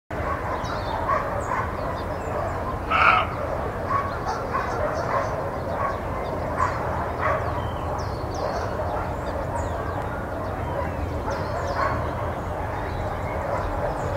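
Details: Roe deer (Capreolus capreolus) barking in Guadalajara, Spain: a single gruff, hoarse bark over steady wind-like background noise.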